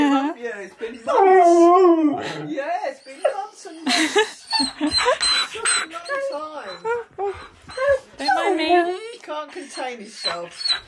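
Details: Siberian Husky Key, on his 7th birthday, April 2nd, reunited indoors with best friend Sherpa after three months apart; wavering, rising-and-falling whines and yodel-like howls in two long bursts, overlapped by excited human speech and laughter.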